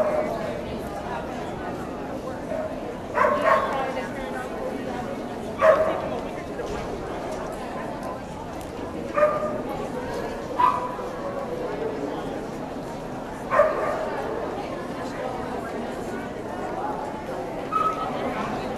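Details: Samoyed puppy Hardy, 12 months old, recorded in Ventura in January 2009, gives single and paired yelping barks every few seconds over continuous murmured human speech.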